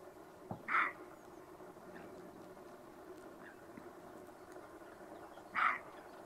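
A roe deer gives two short, hoarse barks about five seconds apart over a quiet background.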